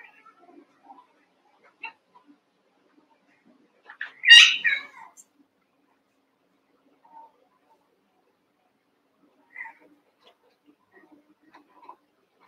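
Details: Eight young Cavalier King Charles Spaniel puppies wrestling and playing together in an indoor pen; one sharp, high, strained yelp bursts out midway, surrounded by faint scattered squeaks and soft scuffling noises.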